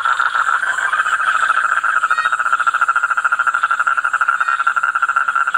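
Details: Continuous toad chorus: rapid rattling pulses about eight per second, running on without pause, even in loudness, a faint high hiss over the top.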